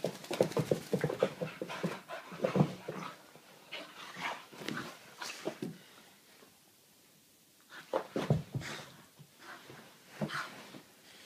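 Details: Soft-coated Wheaten Terrier puppy going crazy after a bath, panting in quick, breathy broadband bursts for about six seconds, then a quiet pause before a few more scattered huffs and rustles.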